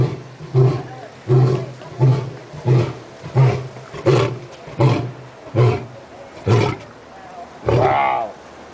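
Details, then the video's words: A lion pacing near the front of its enclosure at San Diego Zoo at sunset gives a series of deep, grunting roars, each short burst under a second after the last. "San Diego zoo lion roaring at sunset"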